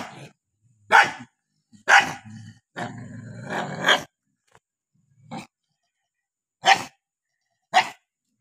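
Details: Two angry dogs trading sharp barks about once a second, with a rough snarling burst in the middle before isolated barks follow.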